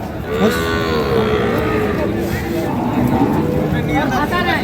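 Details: Sahiwal, Sindhi and local dairy cows with calves at the Ambari market, Parbatipur, Dinajpur, Bangladesh, 1 August 2025; a long lowing moo sliding downward, with further bellows behind a busy backdrop of people talking.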